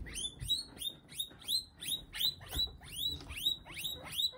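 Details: Guinea pig thrown to a monitor lizard, which eats it; a rapid run of thin, high squeaks, each sliding sharply downward, repeated about three times a second, fairly faint over low rumbling background noise.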